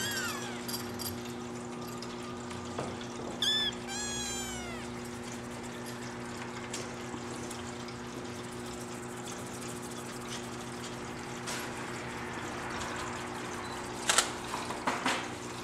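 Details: Singapura kitten siblings born 25 December, wobbling around together on an exploration; a short burst of a few thin, high, falling meows early on, followed by quiet room noise and a couple of knocks and rustles near the end.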